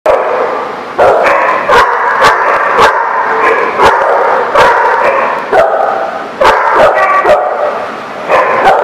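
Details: Dogs barking at a place called the Barking Lot, recorded 25 November 2017; loud, overlapping barks in rapid bursts, several dogs calling at once with short gaps, constant chorus throughout.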